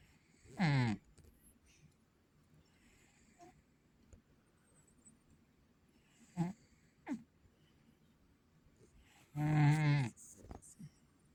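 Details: Sleeping pet cat snoring indoors: a few low, raspy, buzzing breaths spaced several seconds apart, ending with a longer, louder rumbling snore, then quiet room tone.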